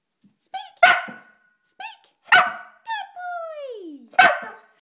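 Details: Pet dog talking: a series of short yelping barks and whiny yodel-like calls, including a long falling whine, about four bursts in under five seconds in a quiet room.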